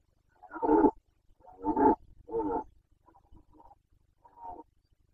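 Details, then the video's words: Carpathian red deer stag in the 2021 breeding season in Bucovina, Romania, giving a series of hoarse, throaty roars, three strong bursts about half a second long followed by fainter grunting calls. "Boncănit / Carpathian stag Breeding season 2021"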